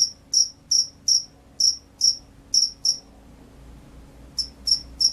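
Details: Shrill repeated chirps of a field cricket from a rice paddy, kept as a lively caller: brisk doubled pulses about three per second, then a pause of over a second before the chirping resumes.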